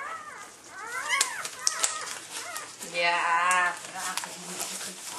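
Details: Newborn Labrador Retriever puppy, a red female and the last of a litter of eight, gives a run of rising-and-falling squeaks in the first second. A person speaks in the middle, and clicks and rustling follow.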